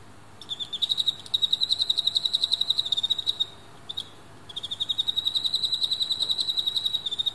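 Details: Captive Emma field crickets, rival males in a fierce fight with a female nearby: long runs of fast, somewhat irregular chirp pulses, a short break around four seconds, then another sustained rapid series to the end.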